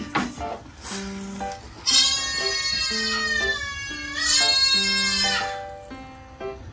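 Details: Recorded high, wavering bleats of a young kid goat, a few months old, calling for its mother, played back to two sister goats in rural Gifu, Japan, over steady stepped musical tones.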